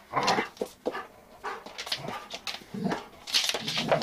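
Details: Indoors, a one-year-old female Giant Schnauzer makes a string of short whimpers and yips at an uneven pace, some rising into brief higher whines, with no other sounds standing out.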